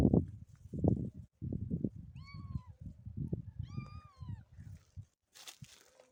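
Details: Motherless kitten giving two clear, drawn-out mews, each rising then falling, about a second and a half apart, over steady low rustling and handling noises, with a brief sharp hiss of noise near the end.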